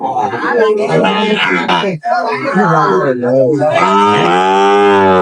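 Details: Sahiwal bull calves at a market in Chittagong, Bangladesh, 23 May 2025, where a local farmer is buying; a long, steady, deep moo swells toward the end, while people haggle loudly throughout.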